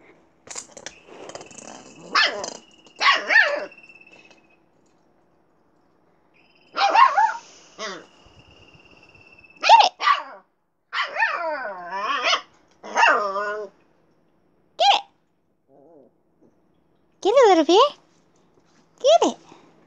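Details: Siberian Husky puppy Little Bear vocalises in a long run of yips, whining barks and short warbling howls, some bursts rising and falling in pitch, separated by pauses of one to two seconds, with a faint steady whistle-like tone early on.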